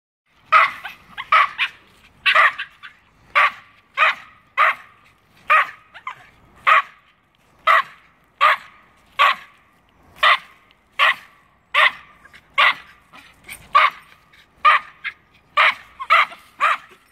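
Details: Two Norfolk Terriers barking at a squirrel up a tree: sharp, bright barks repeated steadily, roughly one per second, with short gaps between each bark.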